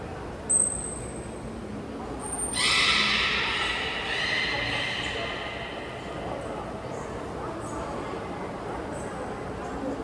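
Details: Belugas being trained at Port of Nagoya Public Aquarium, Japan, with all animals taking part, 16 November 2024. Two short, high whistles lead into a strong, layered, nasal call that fades over about three seconds. Spectators can be heard talking.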